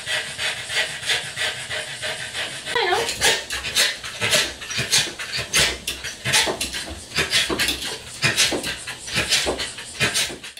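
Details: A small male Corgi stuck outside a fence he could not jump, trying to reach his toys, lets out a brief wavering whimper. Then comes a long run of quick, loud, breathy panting puffs.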